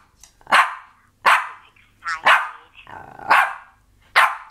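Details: Pet dog barking and growling, excited to talk to grandma on the phone; five loud, sharp barks, roughly one per second, with a rough growly texture between them.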